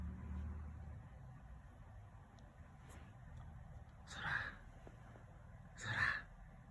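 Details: Domestic cat snoring indoors: two breathy, rasping bursts about two seconds apart, each swelling then fading, with quiet low hum between breaths.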